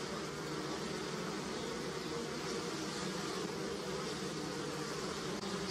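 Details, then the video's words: Swarming honey bees on apple and pear blossom and near the hive give a thick, even, low hum with no pauses. A faint noisy hiss sits in the background. "Som de Abelha - Floração de Maçã e Pêra - Som de Zumbido de Abelha"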